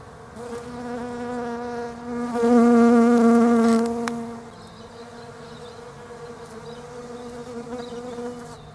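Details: European honey bees working Desert Ash flowers on a leafless tree in autumn, Australia; a low buzz rises sharply as one bee flies near for about two seconds, then drops back to a softer, steady hum with a brief click.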